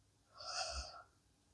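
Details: Blue Akita Inu fallen asleep indoors after a very long day, letting out one breathy snore about a second long: a hissing exhale over a soft low rumble, the room otherwise quiet.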